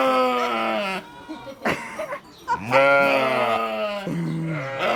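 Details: Sheep making noise: loud, wavering harmonic bleats, one long bleat for about a second, then a pause with short scuffs and snorts, then a long bleat from about 2.6 seconds and a shorter one near 4 seconds.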